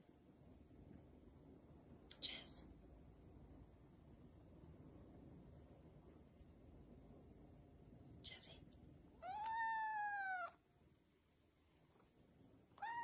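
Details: Cat meowing indoors, one long harmonic meow that dips slightly in pitch, preceded by short scratchy bursts and followed by the onset of another meow; low room noise throughout.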